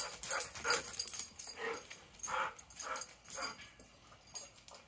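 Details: Dogs at play before bedtime, with a string of short, high yips and whimpering cries repeated roughly every half second to second, tapering off toward the end.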